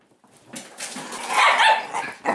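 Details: Italian Greyhound at home indoors giving a short, harsh yelping bark that swells to its loudest midway through, followed by a brief second bark at the very end.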